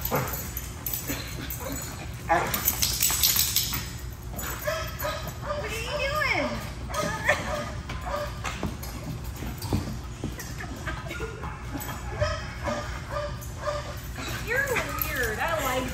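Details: Pit Bull mix dog reunited with its owner after a 15-day board and train stay; high, wavering whines that rise and fall, repeated through the clip beneath a person's excited talking.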